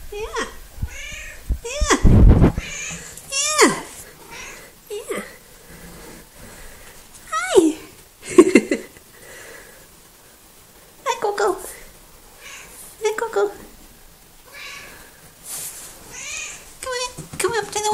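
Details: Coco, a small, talkative female pet cat, in a back-and-forth exchange indoors: repeated short, rising-then-falling harmonic meows every one to three seconds, some drawn out, with a person's voice talking between them and a loud thump near the start.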